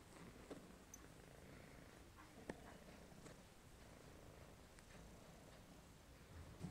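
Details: Quiet, continuous low purr from a male domestic shorthair cat up for adoption, FIV positive and meant to live indoors only; an even rumble with a few small clicks and taps.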